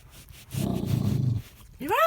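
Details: A pet dog named Remy, described as scared, makes funny noises: a rough, low rumbling growl lasting about a second, followed by a rising human voice.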